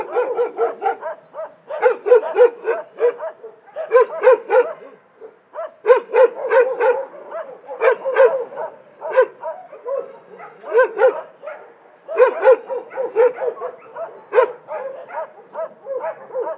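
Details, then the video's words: Several dogs barking in an animal shelter, a chorus of overlapping sharp barks and yips in rapid irregular bursts with brief pauses, voices mixing at different pitches throughout. "Szczekające psy w schronisku"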